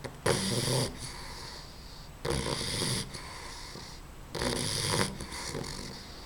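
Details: Female puppy snoring in her sleep: three loud, raspy inhalation snores about every two seconds, each a harsh, wheezy rush lasting under a second, separated by quieter breathing.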